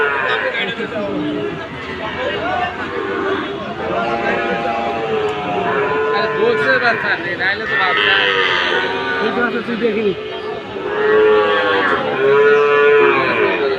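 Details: Friesian and Sahiwal bull calves at Ambari cattle market in Dinajpur, Bangladesh, on 27 September 2024, lowing with drawn-out, wavering moos among steady crowd chatter and men talking nearby.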